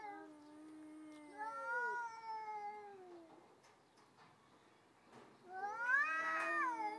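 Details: Two stray cats threatening each other before fighting: overlapping wavering yowls, one low and steady, another higher and bending, fading, then a loud rising harmonic-rich howl returns near the end.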